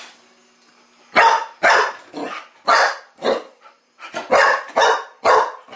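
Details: Young Chow Chow bitch challenging a new mechanical toy ball in play. After a second of quiet, loud harsh barks repeat about twice a second in an uneven run, some clipped short, others drawn out.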